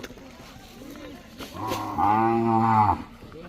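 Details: One Mysore/Khillar calf from a tethered line of five- to eight-month-old calves in Maharashtra lows once, a rising then steady moo of about a second and a half, against quiet outdoor noise.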